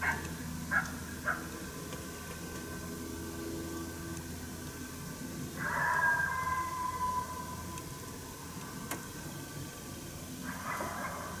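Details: Challenge barking from a coyote heard but not seen on a St-Andrews hunt, 1 March 2019: two quick yips, then a drawn-out barking howl, then another bark, with low droning hum behind.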